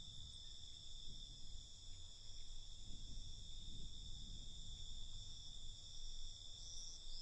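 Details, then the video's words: Crickets at night, a continuous high trilling chorus in steady bands with a low rumble of background noise beneath. "Night Cricket Sound"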